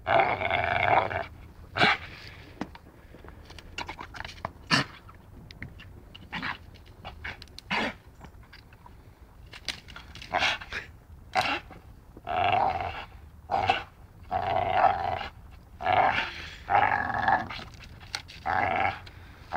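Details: Dachshund playing and biting: short bursts of rough, harmonic play growls and grumbles in irregular runs, separated by sharp clicking snaps and quieter gaps.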